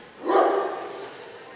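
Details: A single full-throated bark from a Dobermann at the Scottish Dobermann Club championship show, 2012, Limit Dog class; the one call swells quickly and fades over about a second against a steady indoor hum.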